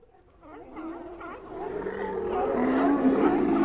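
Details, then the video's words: Colony of sea lions: overlapping drawn-out, moaning harmonic calls that start faint and swell steadily louder, with several animals voicing at once. "Colony of Sea Lions Sound Effect"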